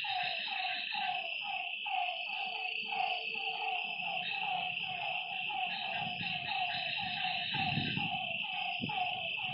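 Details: Lakeside at night with frogs giving quick repeated downward-bending notes in an uneven overlapping rhythm, while a constant high insect whine fills the background and a low thump comes near the end.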